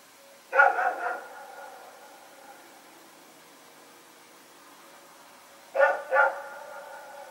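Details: One of two dogs running around during the night, 21 September 2018, barks in a rapid cluster of three, falls silent for about four seconds, then gives another quick double bark.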